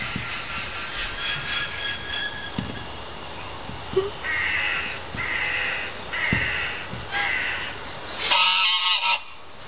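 A red fox gives short, hoarse, honking calls in a run of repeated bursts.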